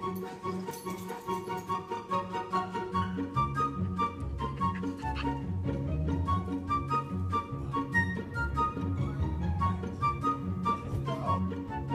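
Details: Light orchestral music with flute and strings playing a bouncy melody, and no animal voice.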